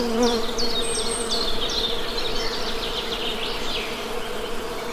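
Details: Steady low drone of buzzing honey bees, with a brief stronger hum at the start, under a run of rapid, descending bird chirps.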